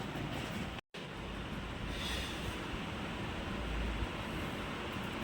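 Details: Loud, steady rumbling of a passing train or vehicle fills the recording, with one brief dropout near the first second and no animal voice.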